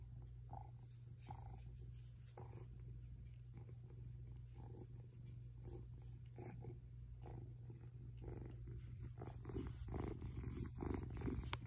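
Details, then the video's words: Contented cat being petted in bed gives a long low purr, rhythmic and unbroken, with intermittent rustling of sheets and hand strokes growing louder near the end. "Purring happy cat gets pet while in bed"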